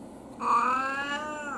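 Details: Anko, an elderly brown tabby mixed-breed house cat of unknown age, in early autumn: a single drawn-out meow with rich harmonics, holding steady then sagging slightly at the end, against a quiet room.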